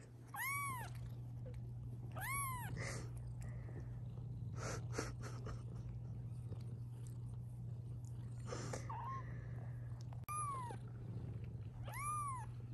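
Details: House cats, a mother and her kittens, indoors while the kittens are filmed. Two arched meows open the sequence and two close it, separated by soft rustling, handling noises and faint shorter calls, over a constant hum.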